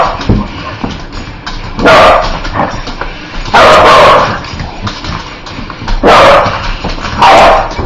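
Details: A spider-hating dog barks repeatedly: four loud, rough barks or short bark bursts spaced about one to two seconds apart, with low background noise in the gaps.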